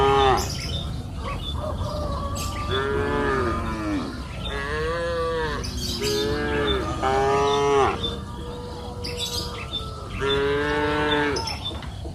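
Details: Grazing cattle on a pasture hill in afternoon light low repeatedly, overlapping moos rising and falling in a near-continuous chorus, punctuated by short bird chirps and quiet rural background.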